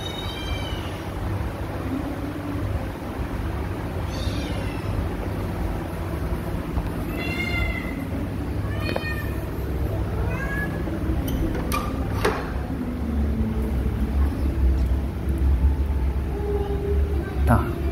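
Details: Kittens wanting to go outside, mewing repeatedly with thin, high, wavering meows every couple of seconds, partly buried under a constant loud low rumble and hiss.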